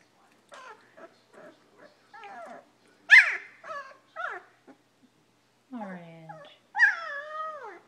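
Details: Nearly two-week-old German Shepherd puppies settling down for the night give soft, broken squeaks and whimpers, with one sharper cry midway and a falling whine at the end, while a person talks quietly.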